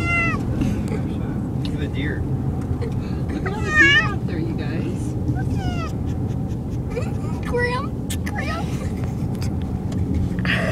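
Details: Male cat meowing from car sickness on a car ride: several quick, bending meows, some doubled, scattered through the clip over constant low road rumble, with people speaking in between.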